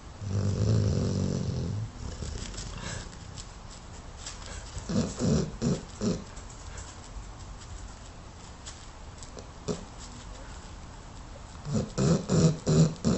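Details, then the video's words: Tara, a Dogue de Bordeaux, asleep and running in her sleep, snoring hard: deep, rumbling low snores, with one loud stretch at the start, then softer pulsing breaths, and a run of strong rhythmic snorts near the end. "Sleep Running & Hard Snoring Dog de Bordeaux Tara"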